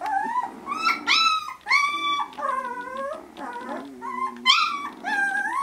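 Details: Eighteen-day-old Vizsla pups interacting with mum and littermates, giving high, bending whines and squeals, several overlapping at once, in quick bursts about every half second.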